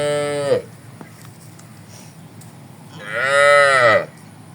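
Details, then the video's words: Tame cattle in a herd lowing in a wide green rice field on a morning: two drawn-out, harmonically rich moos, the first falling off after half a second, the second longer and arching, with a quiet gap between. "Suara Sapiii"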